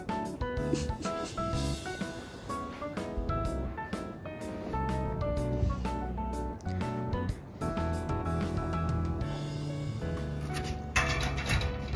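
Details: Upbeat jazzy background music with guitar and drums fills the whole stretch, and no animal voice stands out.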